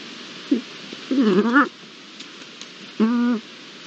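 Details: A pair of Iberian lynx recorded 22-09-22 with original sound, giving short harmonic calls: a brief low note, a wavering drawn-out cry rising toward its end, then a steady half-second moan, over quiet background hiss.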